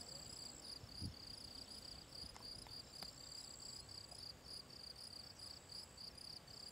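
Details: Gryllus campestris field cricket at the Draga valley ponds on 18 June 2023, chirping about three times a second in a shrill, evenly pulsed rhythm, over a thin continuous high hiss and a few soft low knocks.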